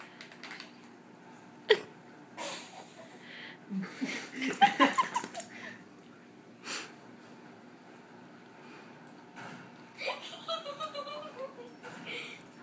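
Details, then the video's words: Dogs Dudley and Fred at rough play indoors, one biting at the other's head; bursts of snorts, grumbling growls and high whimpering whines, separated by quiet gaps, with a woman's voice briefly. "Dudley & Fred playing"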